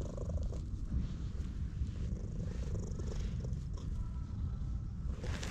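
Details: A stray orange tabby cat in a park purrs loudly as it is stroked, filmed on a GoPro HERO8: a steady, dense, low rumbling drone with little variation and faint hand-on-fur rustle above it.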